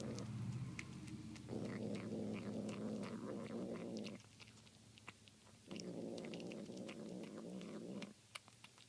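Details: Domestic cat making demonic sounds while eating tuna indoors: two long, rough, low growling rumbles, each about two and a half seconds, split by a quieter pause, with small clicking eating noises throughout.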